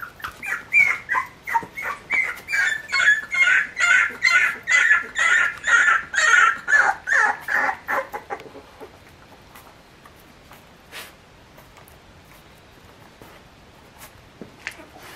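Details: San'in Shiba puppies, three weeks old and just getting steadier on their legs, give high, squeaky cries. The cries repeat quickly and rhythmically, more than two per second, for about eight seconds. Soft clicks and shuffling follow in a quiet room.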